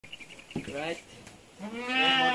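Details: Goat kids being weaned on a farm in San Carlos City, Negros Occidental, Philippines: a short wavering bleat, then a longer, louder quavering bleat with rich harmonics, over faint background noise.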